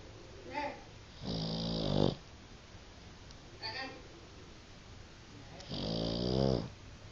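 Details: A Boston Terrier, fast asleep and blowing bubbles, snores loudly, with rattling, buzzy inhales and softer snuffling breaths between them.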